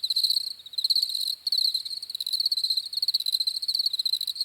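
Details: Short, rapid trills of crickets chirping, grouped into pulses roughly every quarter second, with a brief pause near one and a half seconds; a clean high buzzing texture and nothing else.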